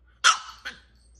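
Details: Indoor French Bulldog barking at a nature programme on the television: one loud, harsh bark followed quickly by a shorter, softer second yap, over a quiet low background hum.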